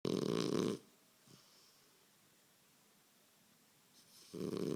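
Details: A sleeping French Bulldog snoring indoors: two loud, rasping snore bursts with long quiet pauses between them.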